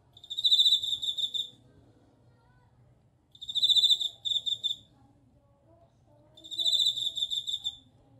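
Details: Suzumushi bell cricket song in three clear, tinkling bursts spaced about every 3 seconds. Each ringing trill lasts about 1.5 seconds and breaks into short pulses at its end, with a quiet low background hum.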